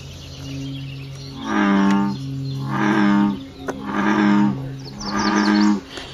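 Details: Frogs calling at night in their natural habitat: four deep, droning, harmonic croaks, each about half a second long, come roughly once a second. A steady low hum runs underneath, with faint high chirps near the end.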